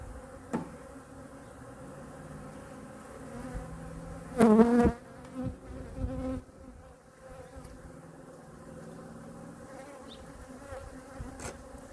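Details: Winter check of honey bees in hive #2, with food stores examined and feeding done: an even, low-pitched drone throughout, swelling into a louder burst of buzzing about four seconds in, with scattered clicks from the frames being handled.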